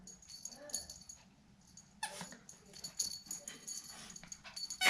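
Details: Mambo, a female pet dog, playing a toy-recognition game at home: soft, high wheezy whimpers in short broken bursts during the first second, followed by rustling and shuffling noises with faint human voices.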